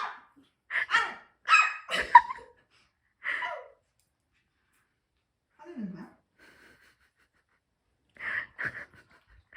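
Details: Mini Bichon Frise dog giving short sharp barks and yips in bursts over the first few seconds, then quieter huffs and a few more barks near the end, in a quiet indoor room.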